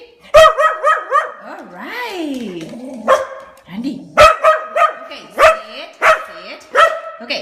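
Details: Dog answering its owner's questions with vocal replies; strongly pitched, harmonic barks and yowling, rising-and-falling howl-like vocalisations repeated through the clip, with a person talking in between.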